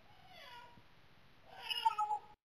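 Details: Domestic cat named Chris crying at night to be let into the bedroom indoors: two drawn-out meows, the first a wavering mid-pitched wail, the second louder and harsher, rising then holding, with faint room hiss between.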